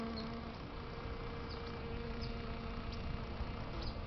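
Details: European honey bees working flowers in San Diego, California, USA, in fine weather; a continuous low hum with steady humming tones, plus a few faint high ticks.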